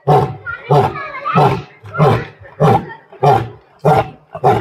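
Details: Asiatic lion at Birsa Zoological Park in Ranchi, India, roaring while visitors watch: a series of deep, hoarse grunting roars repeated roughly every 0.6 seconds, each a short powerful burst.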